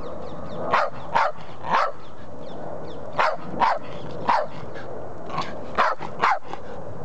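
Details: Patterdale Terrier named Chip demanding his ball, which sits beside him; sharp, punchy barks come in uneven pairs and triples, about nine across the stretch, against a constant low hum.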